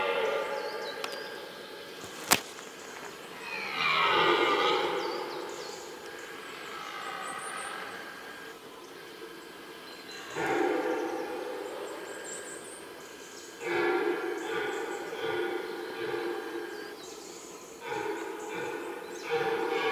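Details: Red deer (Cervus elaphus) stags in the middle of a rutting ground roar during the rut, with long, harsh, drawn-out bellows rising and falling in bursts.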